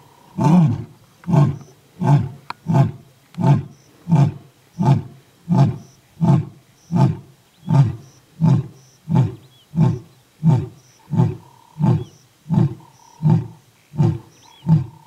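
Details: A lion in the Masai Mara roars to call its pride: deep, hoarse grunts repeated steadily, a little under once a second.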